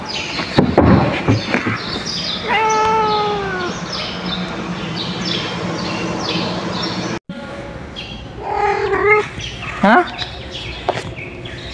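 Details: A pet cat said to be sick or showing attitude gives drawn-out, falling meows, then a shorter rising meow a few seconds later, with Tagalog speech heard between the calls and after them.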